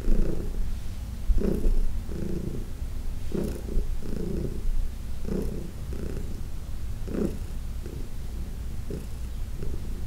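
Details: Purring from Heidi, an elderly adopted house cat, while being massaged indoors in June 2021; deep continuous rumble swelling in regular breath-like pulses about once per second.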